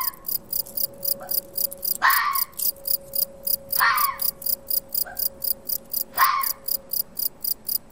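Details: Wild red fox barking near a second foraging fox in Portugal, trail camera recording: three loud rasping barks about two seconds apart with fainter short yelps between, over continuous rhythmic cricket chirping and a faint steady hum.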